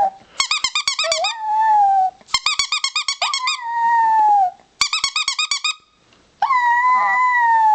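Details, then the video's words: Four-year-old chihuahua howling in a room, rapid pulsing yips sliding into long steady whining howls, four bouts in a row, the last a sustained clear tone without the yipping start. "chihuahua howling"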